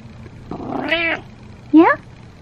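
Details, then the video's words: Pet cat Butters, a male who loves being brushed and talking, meows while being groomed: one clear, rising-then-falling meow just after a person calls his name. "Brushing My Cat While He Meows"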